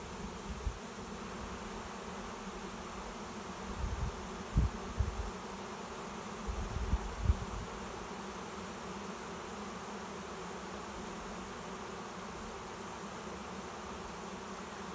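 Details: Swarm of honey bees settling into a swarm trap behind a garage, later hived in a 10-frame deep box; continuous low droning buzz with a steady tone band, occasional sharper bumps and handling noise.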